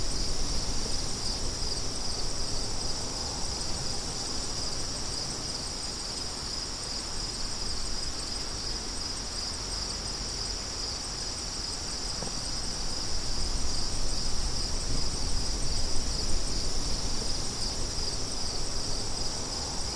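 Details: Crickets keep up a bright, even trill from start to finish, layered over a steady wind rush that rises again toward the end.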